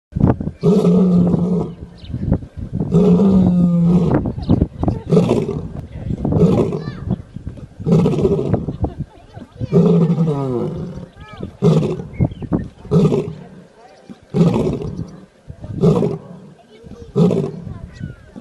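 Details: Lion roaring in a long bout of deep, throaty grunting bursts, each about a second long and repeated every one to two seconds, loud and low-pitched with rough harmonics, the bursts gradually growing shorter and weaker toward the end.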